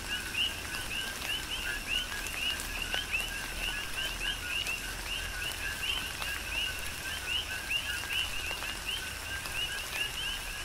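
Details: Coqui frogs calling together in tropical rain on Hawaii's Big Island, their brief rising two-part chirps packed densely and repeating without pause, set against soft rain noise and scattered drip clicks.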